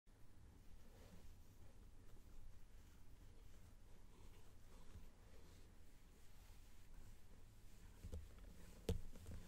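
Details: Shimmy, a male pet cat, purring softly indoors while being petted, recorded close on a binaural microphone: a steady low rumble runs through the whole stretch, with faint rustling and a couple of sharp clicks near the end.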